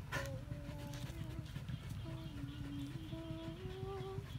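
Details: Siberian Husky giving a run of drawn-out tonal whines that step up and down and slide in pitch, several short held notes over a few seconds, over a steady low rumble, with a sharp click at the start.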